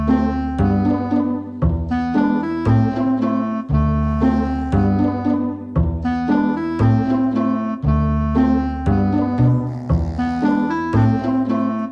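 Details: Jazzy piano and keyboard music plays steadily with repeated chords and a low bass line; no animal voices are heard.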